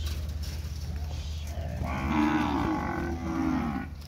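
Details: Steers at a cattle auction exhibition in the pens at Araçatuba, São Paulo, Brazil, March 2021. A soft, throaty bellow swells midway and trails off in two parts, beneath a steady low hum and faint background noise.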